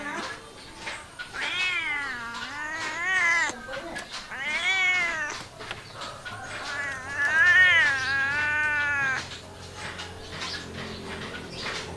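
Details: Drawn-out domestic cat cries, wavering and yowling in a caterwaul style, come in several linked bursts that rise and fall in pitch, before fading to quieter background noise in the last seconds.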